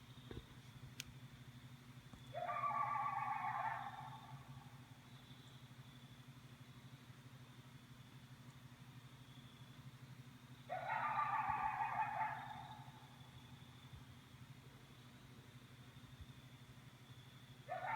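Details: A coyote at night gives two separate bursts of high, strained whining howls against a steady low hum.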